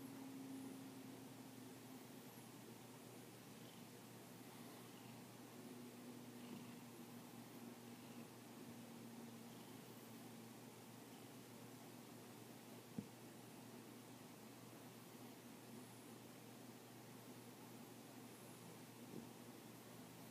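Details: Skookum, a house cat back indoors after a night outside and seeking attention, purrs softly: a quiet, steady, low hum running without a break for twenty seconds, with one sharp click partway through in a quiet room.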